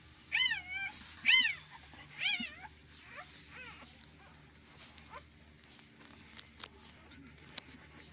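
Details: Indoor recording made while a Belgian Malinois gives birth: four or five shrill, arching whimpers come in quick succession early on, then fade to quiet with faint clicks and a low background hum.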